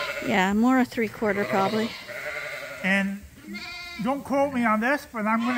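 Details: Lambs being bottle fed at Ewetopia Farms, topped up twice a day on a hand-made bottle feeder because they are not getting enough from their mothers; a run of wavering, harmonic bleats, some overlapping, with short pauses between calls.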